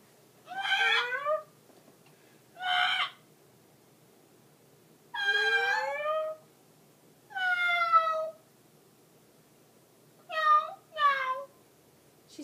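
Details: Nervous pet cat singing along with its owner inside a home: a series of long, wavering, tonal meows, some rising and some falling, delivered in separate bursts every two to three seconds over a quiet background.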